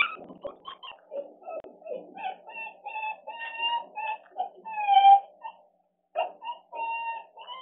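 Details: Eight-month-old female West Highland White Terrier Muku, home alone for the first time and recorded by live camera, gives a run of short, high whimpers. They grow into longer, clearer whines, with the loudest near the end and a brief pause before it.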